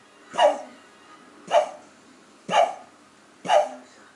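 A Cocker Spaniel puppy coughs in short, harsh bursts about once a second.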